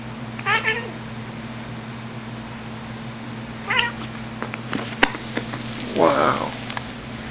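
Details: Six-year-old female Siamese cat wanting to play, giving two short, bright meows about three seconds apart over a steady low hum, followed by a person talking and a sharp tap.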